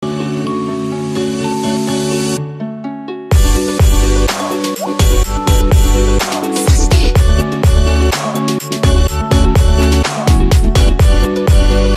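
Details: Upbeat music with pounding bass, steady sustained tones and sharp percussive hits throughout; no animal voice stands out.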